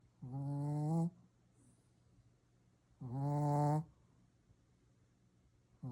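A Shih Tzu snoring loudly, each low rattling breath lasting about a second.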